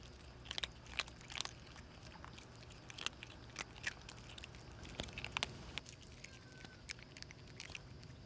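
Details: Three hungry street cats, a mother and her two kitten daughters, eat hastily. Steady crunches and bites land roughly every half second at first, then grow sparser and softer, with a faint hum behind.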